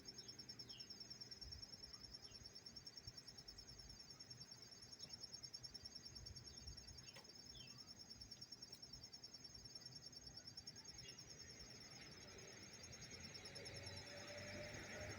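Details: Close recording of a cricket in Tarrytown, New York, September 27, 2023: nonstop high-pitched pulsed chirping, rapid and regular at about three pulses per second, holding a steady tone above soft outdoor noise and a few faint brief chirps.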